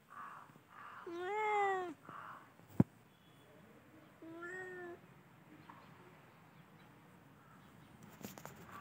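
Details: Cats in a festive spring season: two drawn-out, arched meows, the first louder and longer, the second softer about three seconds later, with a sharp click between them and faint rustling background.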